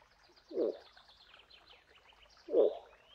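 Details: Two short, low moose grunts about two seconds apart, with a soft chorus of bird chirps and trills underneath.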